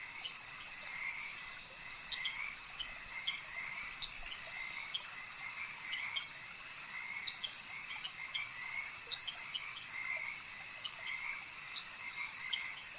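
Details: Frogs calling at a lake: a dense, continuous chorus of short, bright trilled croaks layered over one another, with a steady high insect-like hum underneath and no other clear sounds.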